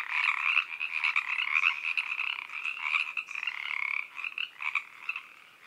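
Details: Evening chorus of Pacific treefrogs at 7pm in Oak Park, California, Zoom H3VR recording: many frogs croaking up a storm in continuous, overlapping raspy pulses, loudest early and easing slightly toward the end.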